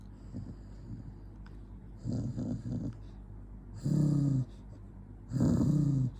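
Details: Jonggi the dog, angry, growls in low rumbling bursts, two short rough ones then two longer steady growls about a second and a half apart, over a constant low hum.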